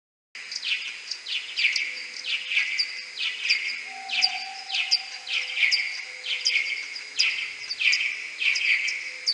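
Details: Common pipistrelle bats in a maternity roost inside a wooden hide, May 2022, possibly with whiskered bats, slowed tenfold: rapid overlapping downward-sweeping chirps with harmonics, Type A social calls mixed with sonar pulses, plus a faint steady tone midway.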